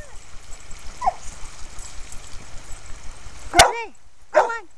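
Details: Red and white purebred male Australian Shepherd, one and a half years old, at a dog park where he plays in a creek and herds other dogs; two sharp barks near the end, with a faint yip earlier and a person urging him to play.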